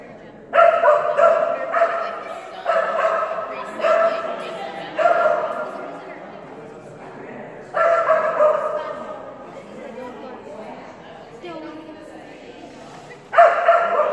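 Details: Barking from Phenix, a female Kerry Blue Terrier during an agility class on a day of bad runs. Bursts of sharp, echoing barks come in irregular runs of two or three, with people talking in the quieter gaps.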